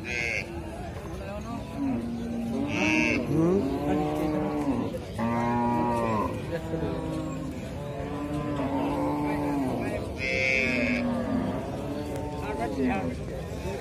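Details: Baby cow (calf) mooing: a run of drawn-out, harmonic low moos, some rising then falling, repeated over several seconds, with voices talking nearby and a few short high-pitched tonal bursts.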